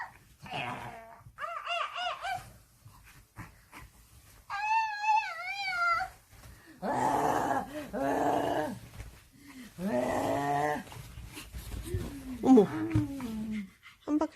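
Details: Byeol, a pet dog playing zombie indoors after watching Kingdom, gives short whines, then a sustained wavering high howl, followed by moaning, groan-like sounds. Human voices speak in between.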